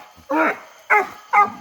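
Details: English Coonhound on a night coon hunt in hot summer weather, after the quarry went up a tree: three loud, short, ringing barks spaced about half a second apart.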